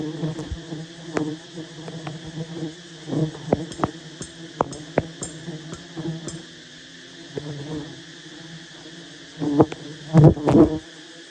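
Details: Honey bees droning at a massive wild hive during a honey hunt: a constant low hum with overtones, repeatedly punctuated by sharp snaps and knocks, growing louder and busier toward the end.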